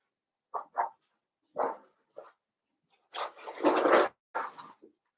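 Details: Indoor pen of five Blenheim Cavalier King Charles Spaniel puppies born around New Year's; several brief squeaky whimpers open, followed by a sustained, rising chorus of yelping and whining that fades into short cries.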